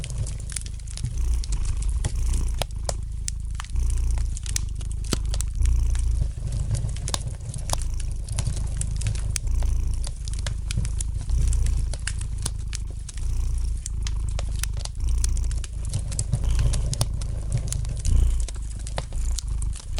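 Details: Gentle purring of a domestic cat beside a crackling fireplace fire; the deep, continuous rumble pulses softly throughout while frequent light snaps and pops from the fire sound over it.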